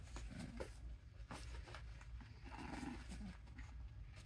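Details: Two 6-week-old red brindle and white English Bulldog puppies in Darlington, South Carolina, make low, throaty grunts and short growly calls over a steady low rumble.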